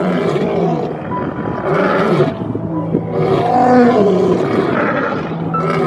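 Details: Lion (Panthera leo), roar.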